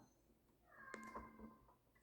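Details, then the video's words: A female domestic cat gives a drawn-out, slightly wavering meow in a quiet room. "Estão ouvindo o miado do meu gato?"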